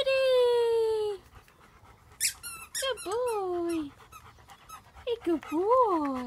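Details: German Shepherds from a pack whine: a long, steady drawn-out whimper opens, followed by quick yelps and bending, rise-and-fall squeals, ending in a wavering high whine.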